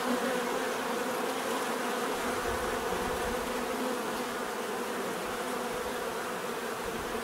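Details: Many bees buzzing in a steady, dense drone, a low hum with stacked overtones that never pauses. One bee passes close near the start, briefly louder and higher. No other sounds stand out.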